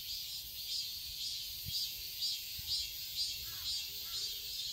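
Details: Cicadas in a Seoul garden in summer, Korea, with a high, hissing drone pulsing in quick regular beats; faint softer, lower sounds and a brief thud appear beneath the buzzing.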